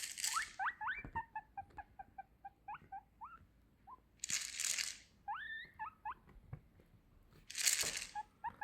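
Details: A guinea pig gives loud, squealing wheeks, each sliding upward, in quick repeated bursts, when a vitamin box is shaken; Guinea pig.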